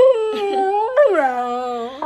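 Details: Siberian Husky howling indoors, upset after a night of noisy fireworks on the Fourth of July; a long wavering howl, dipping then rising sharply near one second and falling again, with rich harmonics and a brief human word at the start.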